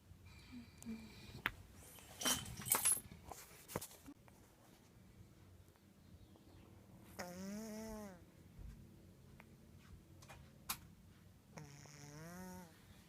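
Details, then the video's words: Pet cat asleep, snoring indoors: two drawn-out, buzzy, harmonic snores about a second long, several seconds apart, with clicks and rustles earlier. "My kitty snoring"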